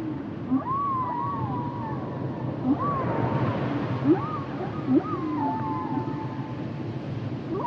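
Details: Humpback whale song of arching whistled moans that rise and fall, interleaved with short bright upward chirps every second or so, set over a low continuous underwater rumble.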